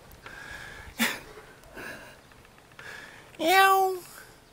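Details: Two cats standing guard in a vegetable garden in Jeonju, North Jeolla Province, Korea. Soft breathy noises come first, then one loud drawn-out meow that rises and then falls, with rich harmonics.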